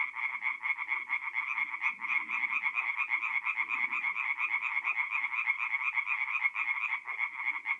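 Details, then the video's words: Singing tree frogs at a north-east Italian forest pond by night in mid-April: loud, rhythmic croaks repeated about twice a second by a crowded chorus, with soft low-pitched rustling in the background. "relaxing forest pond by night with singing tree frogs"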